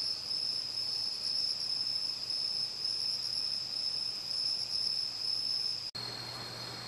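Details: Crickets, bell crickets, pine crickets and katydids calling on an autumn night in Uchiko, Ehime, Japan; an unbroken shrill trill holds for about six seconds before an abrupt cut, after which the chorus sounds altered.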